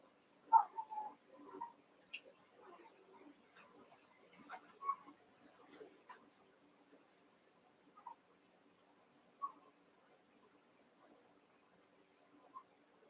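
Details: Young Cavalier King Charles Spaniel puppies, eight together in an indoor pen, wrestling and playing: scattered short squeaky yips and soft grunting growls in brief bursts, loudest early, then thinning to occasional single yelps over a quiet background.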